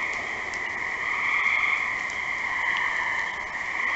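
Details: Gray tree frogs trilling together, an unbroken high-pitched chorus of overlapping calls that grows a little louder mid-way, with a few faint clicks in the background.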